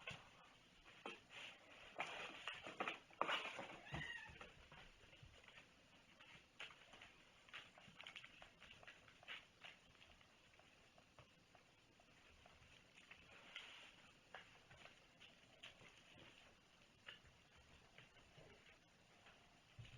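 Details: A domestic cat meowing indoors in a small room during a mailbag unboxing, a cluster of short, strained meows in the first few seconds, then fainter scattered calls among rustling, tapping and handling noises.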